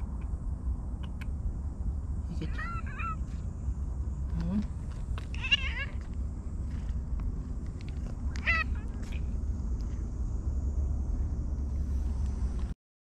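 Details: Stray cat with a prominent moustache-like nose marking, named Hige Danshaku, meowing in a park; several short, wavering meows come at intervals over a steady low rumble of background noise.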